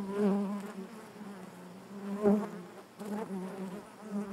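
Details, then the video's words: Inside a honey bee hive, a dense drone of many wings hums continuously, with several brief louder surges as single bees fly near, their pitch bending slightly. "bees therapy hive natural buzzing sound"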